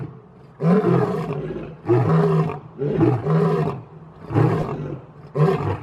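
A lion gives a series of deep, rasping roars, each heavy grunt about a second apart.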